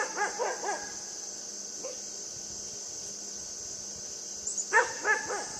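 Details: A puppy playing with a buck gives bursts of short, high yappy barks, three quick ones at the start and another cluster near the end, with a steady high hiss throughout.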